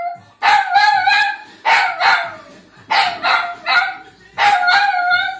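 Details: Dog singing in front of the television: a series of wavering, yelping howls in short bursts, some rising and falling, repeated about every second with brief pauses between phrases.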